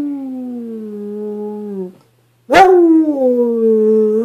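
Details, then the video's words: Black and tan coonhound, a female rescue possibly of mixed breed, baying to 'talk' to her owner indoors: two long, drawn-out howling bays, each steady and slowly falling in pitch, separated by a half-second pause. "coonhound baying"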